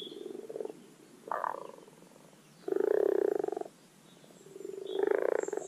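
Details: Common frogs (Rana temporaria) giving their spring spawning call at a garden wildlife pond: low, rapidly pulsed purring croaks in four separate bursts, each lasting roughly half a second to one second, with faint high bird notes behind.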